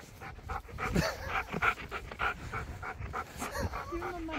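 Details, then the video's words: Husky pestering for more treats, panting and snuffling in quick breathy bursts, then giving a short, low, drawn-out whine near the end. "Husky Bullies Me For More Treats!"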